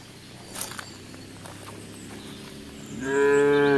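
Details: A cow grazing in fields gives a loud, drawn-out moo after a few quiet seconds.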